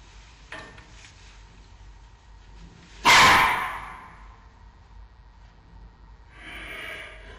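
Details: Giant panda cub Xiao Qi Ji, an almost 4-month-old male, lets out one loud, feisty bark, a sudden broadband burst around three seconds in, followed by a softer rustling noise near the end against quiet background.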